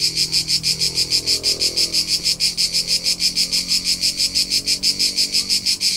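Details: Summer cricket in the Tuscan countryside of central Italy, its high, rapid chirps pulsing evenly at roughly three per second without pause, over a quiet low background rumble.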